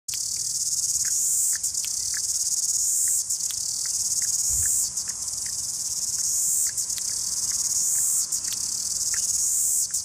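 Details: Cicadas singing in Christchurch, New Zealand, one perched on a lamppost: a loud, continuous high buzzing drone with brief dips every few seconds, and faint short chirps beneath.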